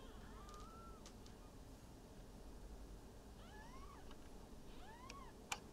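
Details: Maine Coon kittens, newborns from a litter of five in Tokyo, Japan, mewing in thin arched cries, a long one early then paired overlapping calls later, over low steady hum and a brief click near the end.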